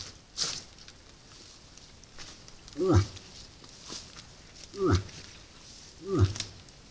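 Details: Moose at a salt lick during the rut, caught by a camera trap; deep, short guttural grunts, three strong ones spaced roughly one and a half to two seconds apart after a fainter opening grunt, with light rustling between.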